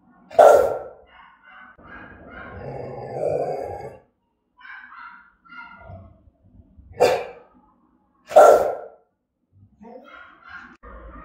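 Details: Rottweiler Gervi Melsee giving threatening, aggressive barks: three loud, sharp single barks spaced several seconds apart, separated by quieter, voice-like harmonic sounds.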